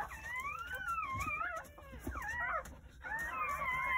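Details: Newborn Jindo puppy crying on New Year's Day, one of nine born at a country home between morning and early afternoon; thin, wavering whines slide up and down in three drawn-out bursts separated by short pauses.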